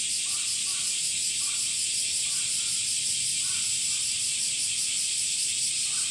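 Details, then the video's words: Summer chorus of male cicadas, which sing by pulling their abdominal tymbals in and out: an unbroken shrill, buzzing drone at even loudness, with soft pulsing and scattered faint lower chirps underneath. "THE SOUNDS OF CICADAS ( semi goe ) THE SUMMER INSECT"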